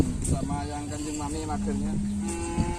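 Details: Bull race training for Kerapan Sapi at the Asemanis field, 6 November 2022, before an anniversary competition: cattle give a sustained droning moo that steps down in pitch midway, with voices and background noise around.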